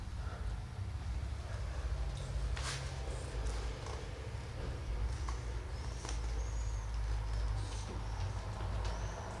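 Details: Female calico cat after spay surgery, sleeping under anaesthesia, gives a steady low rumbling purr with soft breathing pulses, joined by faint clicks and light rustling.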